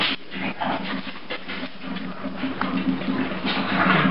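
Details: Riddick the Bulldog throwing a morning temper tantrum, rolling wildly on his favorite Coolaroo bed indoors; rough panting grunts and whiny snorts come in quick irregular bursts over soft background music.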